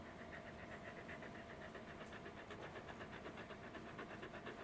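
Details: Fluffy Welsh Corgi named Roku, heavily coated and seemingly hot even in an air-conditioned room, panting while being petted: rapid, steady breaths at about four per second, soft and continuous against a faint room hum.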